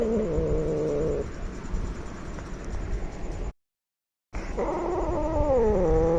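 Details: Angry, aggressive cat giving drawn-out, wavering yowls. One falls in pitch at the start, a short silent gap follows, and then another strained wail slides downward before levelling off.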